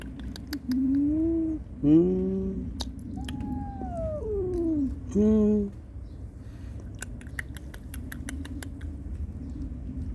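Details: Cats in a recording where a mother angrily warns off an intruder to protect her kittens and kittens cry plaintively for their mother; several harmonic meows, some rising then falling, one long descending cry, ticking noises behind, indoors.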